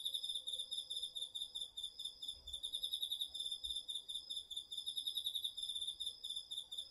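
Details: Autumn garden insects, crickets included, recorded with a DR-40X in a home vegetable patch. Steady high pulsed trills from several insects overlap continuously, with a rapid, slightly wavering beat.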